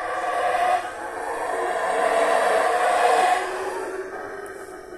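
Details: A sustained chorus of howler monkey roars in Mexico: a continuous hoarse, droning rumble with rich overtones that builds gently to a peak near three seconds before easing off.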